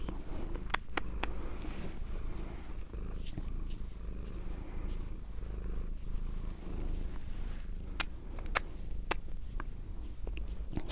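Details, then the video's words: Female domestic cat on binaural microphones, a quiet low purr running steadily under scattered sharp clicks and faint rustles. "ASMR Cat Sounds - Soft-Spoken, Purring, Licking, Petting"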